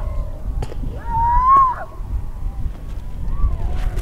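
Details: Newborn harp seal pup in yellow coat, perhaps half an hour to an hour old, coming close to sniff; one drawn-out tonal cry rising then dipping over about a second, with fainter cries nearby and low wind rumble.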